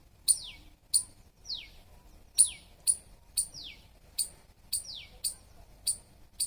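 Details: Squirrel calls in a regular series: piercing tick-like chirps, each trailing into a descending squeak, roughly two per second, over a quiet background.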